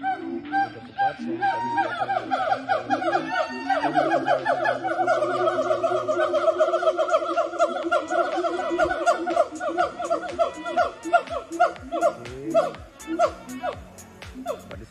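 Siamangs sing loudly in a rapid series of harsh, honking whoops that run together into a ringing chorus.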